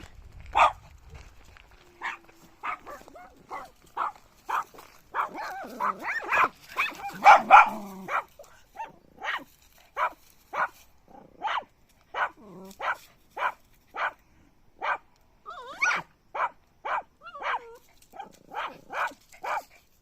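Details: Puppy barking in a steady run of short, high yaps about every half second, with a brief cluster of whiny, overlapping yelps around the middle before the rapid yapping resumes; no other clear sounds.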